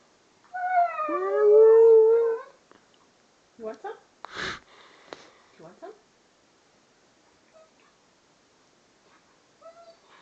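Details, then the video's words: Siberian Husky howling after eating ice cream and getting a brain freeze, indoors: a loud, wavering, harmonic-rich howl for about two seconds that slides down, then short whimpers and a man's voice talking. "Gunner gets a brainfreeze"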